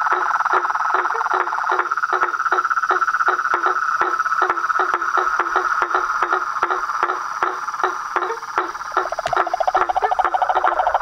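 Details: Frogs, toads and treefrogs calling together at nightfall from a pond in front of a house, a dense trilling drone with evenly spaced clicking notes, about three per second, and a faster rattling call near the end.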